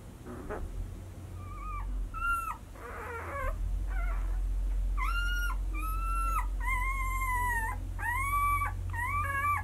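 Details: White Swiss Shepherd puppies, six days old, from the Sienna / Valentino 2019 litter, giving repeated high whines and squeals, some rising then falling, several in quick succession over a steady low hum.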